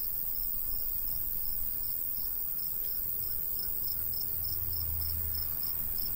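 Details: Crickets in summer countryside by a golden wheat field, light breeze: rapid high chirps pulse steadily above a soft low rumble of wind, with a faint continuous high hiss of insects.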